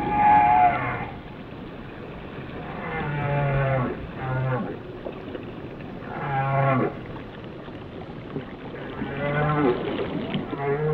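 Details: Whale song of lowing, cow-like moans with stacked harmonics, broken by short deep pulses, repeating roughly every two to three seconds over steady underwater noise.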